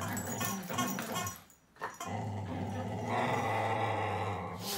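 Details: Whippet dog in a fight with a duck, giving sustained low growls broken by a short gap near the middle, then a long continuous rumbling growl to the end.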